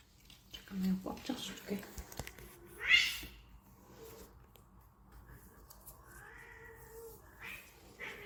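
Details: Stray desert cat in Abu Dhabi during a treat party: a sharp, high meow among human voices, followed by longer, softer drawn-out mews and some background clatter.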